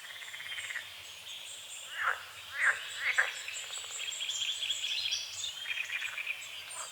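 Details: At dawn on a foggy forest-edge lake among calamus and water lilies, frogs give three sharp croaks in close succession mid-clip, set against a soft background chorus and scattered bird calls.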